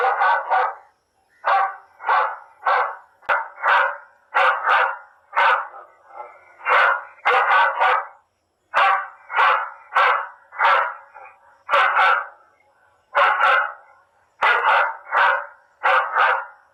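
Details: Dog barks played back in a field to keep wild pigs from damaging crops, a rapid, steady run of harsh barks in singles, pairs and triples with only short pauses throughout.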